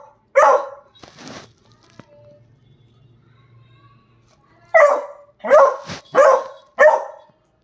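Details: A beagle howling to seek attention gives short, hoarse baying barks, one at the start and then four in quick succession.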